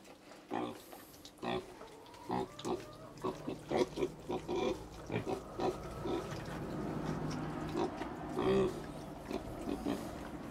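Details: Little pigs in China producing many short rapid grunts and snorts over a steady background hum, with faint tonal whines.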